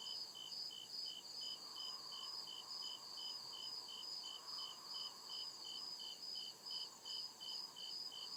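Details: Night chorus of crickets in a deep forest, short bright chirps repeating about two to three times a second over a constant high-pitched drone, faint swelling rumble in the background.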